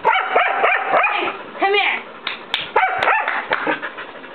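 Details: White mixed-breed dog about a year old pestering a nine-year-old long-haired Chihuahua to play: quick runs of sharp yappy barks, one rising-falling whiny yip in the middle, then more choppy barking.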